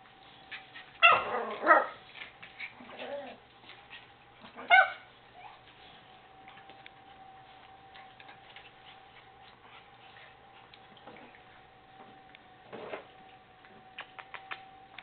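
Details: Miniature Schnauzer puppies at play: white pups Faerie and Turok, born December 21, 2012, with black-and-silver littermates. Short yips and barks burst in the first two seconds, again near five and thirteen seconds, over a steady low hum.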